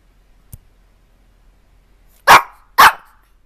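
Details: Domestic dog letting out two loud, harsh barks about half a second apart after a faint click, otherwise quiet.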